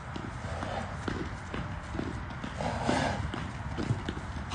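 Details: Arabian stallion Enaaq Al Thaqeb, shown in 2021, moves with steady dull hoof thuds against a rumbling background, while a man's voice calls out in Arabic over the steps.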